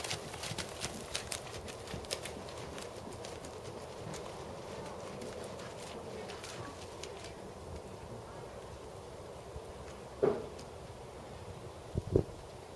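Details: Hooves of a big black 16.2-hand Percheron/Thoroughbred gelding, seven years old, in dressage schooling; light regular footfalls in the first seconds, then quieter stretches broken by two sharper knocks near the end.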